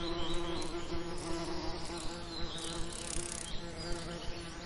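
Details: In a summer lavender setting, bees give a close continuous buzzing drone, low and even, with faint airy background and a few soft high chirps.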